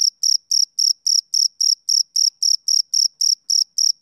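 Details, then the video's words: A male cricket chirps on a summer evening, giving sharp, high, evenly spaced pulses, around fourteen in four seconds, each a brief shrill burst separated by quiet. "Cricket Chirping Sound Effect"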